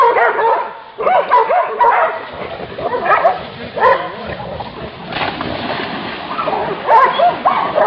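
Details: Hunting dogs on a wild boar hunt, their barks and whining yelps blurring together in a continuous noisy chorus with a rough background.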